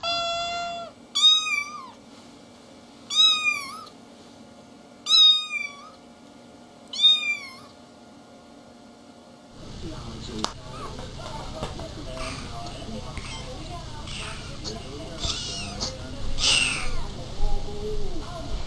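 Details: Kittens meowing: four sharp, high meows spaced about two seconds apart, followed by rustling and handling noise with faint squeaks.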